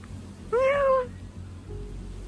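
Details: White Thai street cat on Koh Phangan, Thailand, found again after hiding high in a tall jungle tree when other animals chased her away. She gives one clear, half-second meow, steady then slightly falling, over a low background hum.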